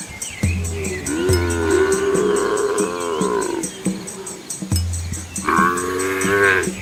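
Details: Asian village cows with calves following their mothers along a quiet road; low droning moos give way to a long, slightly rising bellow, then a pause and another low moo ending in a higher lowing call.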